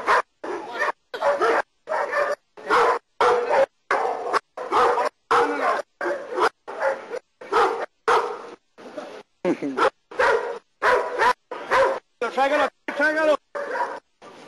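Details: Nero, a German Shepherd doing protection work in Costa Rica, gives a run of strong barks at an uneven pace, some ending in higher whining tones, with a person's voice mixed in.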